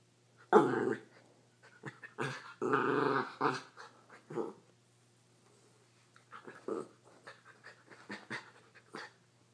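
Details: Schnauzer growling in play with a cat, which catches her paws in his beard. Loud, harsh growls come in uneven bursts, with a long rumbling stretch early on, then quieter broken grumbles and snorts.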